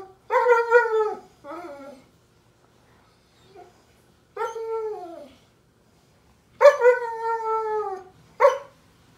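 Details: German Shepherd puppy, upset because it is bedtime, recorded 15 May 2021: loud, falling whines in separate bursts about two seconds apart, with brief quiet gaps between them.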